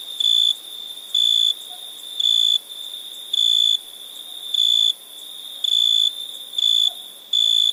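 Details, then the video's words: At night, a cricket repeats short, piercing, even-pitched chirps at a quick, slightly uneven pace, roughly nine in under eight seconds, against a steady ringing chorus of insects. "Night ambience cricket sounds"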